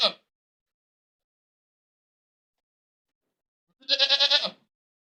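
A goat gives a loud, harsh, quavering scream-like bleat, after a brief cut-off cry at the start.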